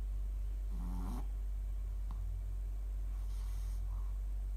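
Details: Sleeping Shih Tzu dog snoring: a rough, buzzy snort around one second with a brief wheezy harmonic tone, followed by softer breathy rasps, over a steady low household hum.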